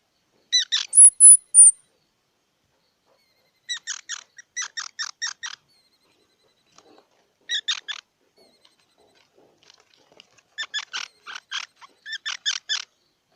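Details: Squirrel opening with a thin, very high squeal, followed by several bursts of fast, clipped chattering chips with quiet gaps between them.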